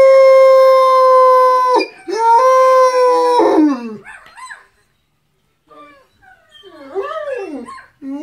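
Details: Harlequin Great Dane joins in with videos of howling dogs: a loud, steady, sustained howl held for several seconds, breaking into short wavering, rising-and-falling yowls that fade to quieter arched cries.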